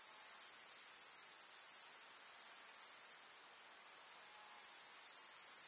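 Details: Grasshoppers chirring in a countryside summer meadow: a dense, high shimmering trill that suddenly softens after three seconds, then builds back up toward the end.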